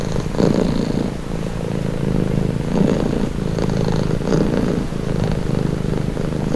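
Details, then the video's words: A pet cat purrs in a calm, low, buzzing drone, swelling gently about every one and a half to two seconds as it breathes. "Purring cat"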